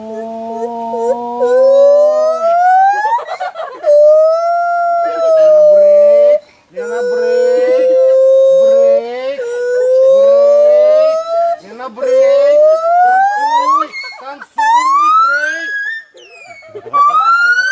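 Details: A monkey in Phuket, Thailand, sings loud, pure whooping notes that slide upward, repeated in a rising series to mark its territory.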